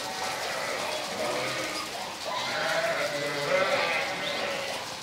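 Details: Sheep moving with goats under farmers' herding through a small Italian city, Venice, pause to snack on a hedge. Drawn-out, quavering bleats come one after another over a steady background hum.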